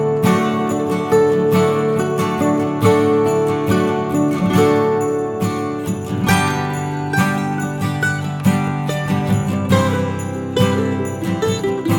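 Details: Plucked guitar music with jingling bells plays throughout, steady and melodic, with no animal voice audible.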